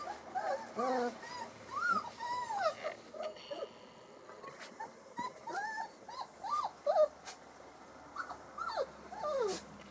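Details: Alaskan Malamute puppies on day 24, making their first explorations: many short rising-falling whines and yelps from several pups, overlapping in quick bursts throughout.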